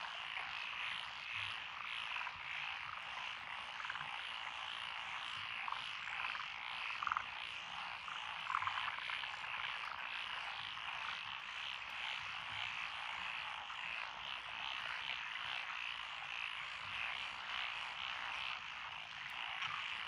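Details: Dense frog chorus from lotus rice paddies along a country road in Echizen, Fukui, Japan, 12 June 2021, with tree frogs, pond frogs, wrinkled frogs, Schlegel's and forest green tree frogs. Continuous overlapping croaks and trills form a steady wall of sound.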